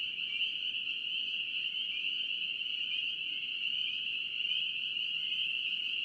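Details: Spring peepers calling in North Carolina: a dense, unbroken chorus of many high, shrill peeps blending into one steady ringing whine throughout, with no other clear sounds.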